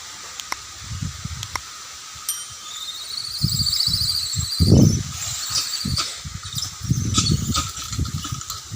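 Shrill, wavering squeals and screeches rise and fall from fighting monkeys, some drawn out, others sharp and brief. Dull thumps, scuffling and outdoor rustling sit underneath the cries.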